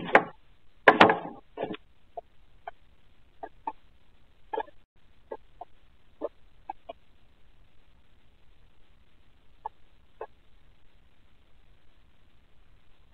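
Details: At night in the dark, a Ring night camera picks up pet guinea pigs in their enclosure: a few loud, rough bursts at the start, then a thin series of short, clipped squeaks spaced irregularly over a quiet background.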